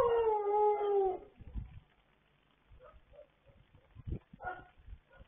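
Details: Pet dogs in a late-night howling session recorded 26 October 2022, one clear sliding howl lasting about a second, then soft scattered noises and faint yips.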